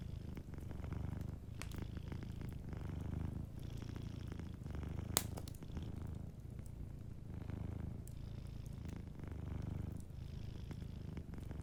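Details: A dozing cat purrs near a crackling fireplace; the soft, low vibration rises and falls roughly every two seconds with its breathing, and a single loud snap of burning wood cuts through midway.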